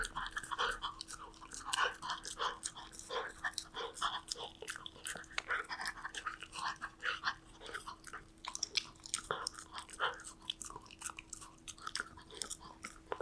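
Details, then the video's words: Golden Retriever puppy Danbi eating snacks indoors: dense, irregular crunching and wet chewing bursts follow one another quickly, with a faint steady hum beneath throughout. "넋 놓고 보게 되는 강아지 먹방 | 골든 리트리버 강아지 단비"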